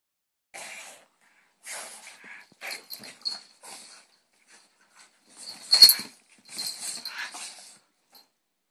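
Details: French Bulldogs at play, several of them; short breathy snorts, wheezes and snuffles in separate bursts under a second long, a louder huffing burst near the end, with quiet gaps between.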